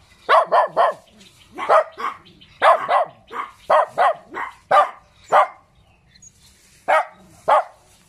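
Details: Small dog barking: short, sharp yaps, often in groups of two or three, with uneven gaps between them.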